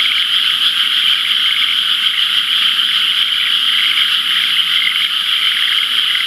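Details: Loud frog chorus from rain-filled rice paddies the day after rainfall, before irrigation water arrived; unbroken high trilling from many frogs at once, with faint rhythmic pulsing beneath the steady shrill wall.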